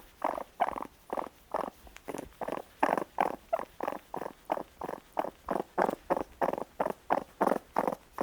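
A young raccoon gives a steady run of short, husky churring pulses, about three each second.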